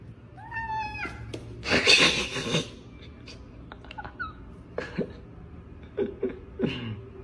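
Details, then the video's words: Domestic cats teasing and playing with each other indoors: a clear rising-then-falling harmonic meow opens, then a loud scuffling burst, and several brief chirpy meows and squeaks follow over the next seconds. "Hilarious Cats Kidding Each Other"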